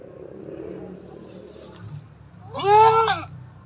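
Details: Domestic goat giving birth for the fifth time; a single loud, harmonic, wavering bleat near the end, preceded by quiet background hum and faint noise.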